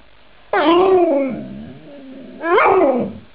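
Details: Talking snow dog produces two expressive, voice-like howls: the first climbs, wavers and sinks into a lower drawn-out moan, and the second, about two seconds later, rises sharply and falls again.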